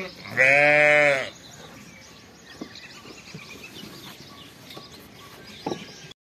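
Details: A fall lamb on a farm gives one loud, wavering bleat, followed by quiet farmyard background.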